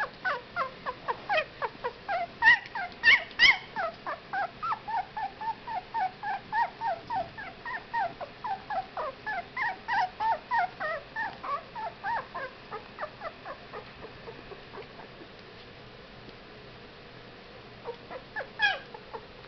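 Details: A litter of Whippet puppies at 15 days old, squealing in a dense rapid series of short rising whimpers, about three per second, loud in the first half, then fading to near quiet before a final burst.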